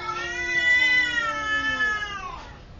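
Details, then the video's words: Cat giving one long drawn-out meow lasting nearly three seconds, steady and slightly falling in pitch toward the end, clear and loud with little background noise. "Cat Meow nication II"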